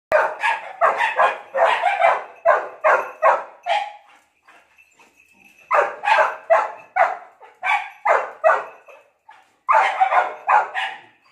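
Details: Labrador Retriever barking in rapid, sharp bursts: a run of about nine barks, a short pause with a faint steady tone, then two more clusters of loud repeated barks, roughly two to three per second.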